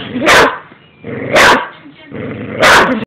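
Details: An angry Boxer dog barks loudly three times, spaced about a second apart, each bark harsh and broad, with faint background noise between barks.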